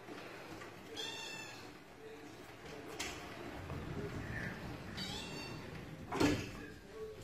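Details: Russian Blue cat giving two short, high, strongly harmonic meows, about four seconds apart, over a steady background hum, with soft clicks and a brief knock near the end.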